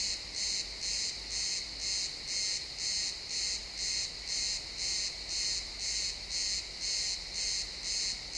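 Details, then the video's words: Crickets at sunset in a pine forest, real-time XY stereo: continuous high trilled chirps pulsing steadily near two per second, with a soft low rumble and gentle forest ambience in the background. "Cricket sounds in the pine forest"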